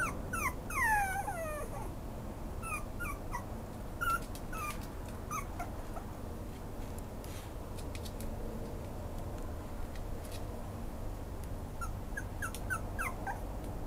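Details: Whining Maltese x Pomeranian puppy, opening with a fast cluster of shrill, falling whimpers, then scattered single yips and soft squeals at irregular gaps, a few more high cries near the end, over constant low indoor hum.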